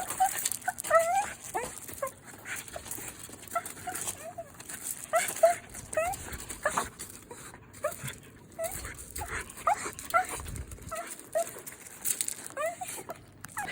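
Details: A West Highland white terrier welcoming its owner home whines again and again, with brief rising whimpers coming in quick bursts throughout, mixed with a steady hiss of background noise and faint rustling.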